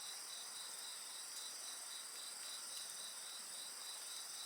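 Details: Insects singing at night beside a bonfire in a 55-minute recording: a steady, shimmering chorus of high, continuous trills layered in several bands, with a faint pulsing beat and a few soft crackles from the fire.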